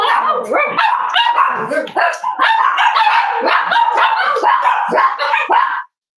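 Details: Cozy Cavalier King Charles Spaniel puppies indoors on a warm Friday morning, snuggling together; nearly six seconds of unbroken, tangled whimpering and squeaky yips from several pups, fluttering up and down before stopping abruptly.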